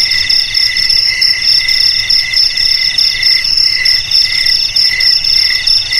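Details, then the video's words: Steady cricket song, said to chase rats from homes and rice fields; very high, thin pulsing trill layered over a lower shrill band, throbbing evenly and continuously, nothing else audible. "Suara JANGKRIK Pengusir TIKUS Paling Ampuh untuk di Rumah,Garasi,Gudang,Sawah Agar Aman dari TIKUS"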